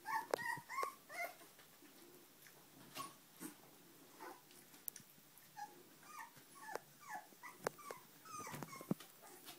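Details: Puppies whimpering: a quick run of high, squeaky whines at the start, then more short rising and falling squeals in bursts after a pause, mixed with scattered clicks and knocks.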